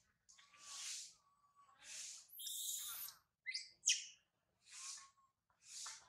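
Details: Infant monkey Sario, left behind by mother Sarah, cries loudly high in a tree: hissing, broadband screams about once a second, broken by thin, level, whistled coos and two sharp squeaks.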